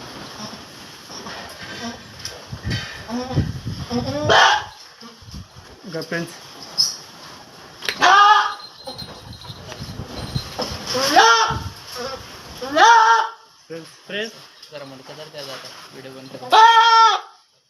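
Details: Boer goats at Gurukrupa goat farm in Sangli give loud, wavering, nasal bleats, four main ones spaced a few seconds apart, over people talking in Marathi.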